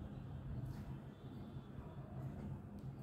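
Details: Low droning engine rumble, as from passing traffic, continues throughout with no animal calls.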